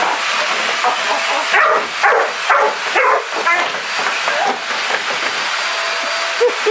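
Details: Sansão, a black Labrador Retriever, barks at a black vacuum cleaner: several sharp barks cluster between about one and a half and three seconds over the vacuum's constant roar, with laughter around.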